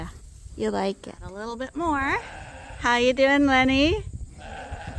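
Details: Rams at Ewetopia Farms, a large registered Suffolk and Poll Dorset sheep farm, on a quiet day with the favourite rams Gladiator and Leonard; a wavering, quavering bleat about a second long, mixed with people talking nearby.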